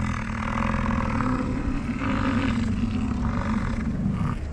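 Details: American bison during the rut on a prime morning in the Grand Teton, Jackson Hole and Yellowstone area, amid chasing, rolling, fighting and mating; deep, rumbling roars held for several seconds over a steady low background hum.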